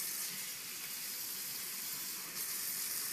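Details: Tap water pours and splashes steadily into a basin.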